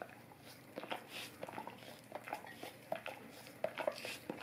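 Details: Indoors, a Golden Retriever works its tongue over an Orapup tongue cleaning brush, giving scattered moist clicks and slurps, a few louder smacks near the end, in a quiet small room.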